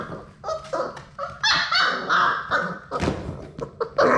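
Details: Labrador Retriever puppies, one of six in a puppy play room, tussling with and attacking a GoPro camera at close range; a run of short, high yips and squeaky barks, some stacked and whiny, coming in quick bursts with brief pauses.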